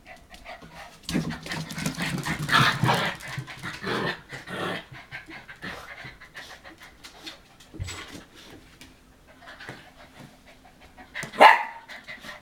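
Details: Hokkaido puppies, 65 days old, panting in short breathy bursts with soft rustling and handling noises, one sharp squeak near the end.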